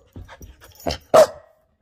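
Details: Pet Samoyed making a surprise play attack: a few soft low huffs and grunts build to one sharp, loud bark near the end, then quiet.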